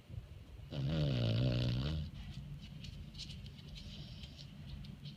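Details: Sleeping senior foster Beagle giving a single drawn-out, low rasping snore of about a second and a half, then soft breathing noise for the rest.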